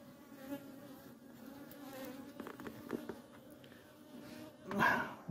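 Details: European hornets (Vespa crabro) invading an apiary where many of them attack the honeybee colonies; a steady, low droning buzz with a humming tone runs throughout, with soft clicks and a louder rustling burst near the end.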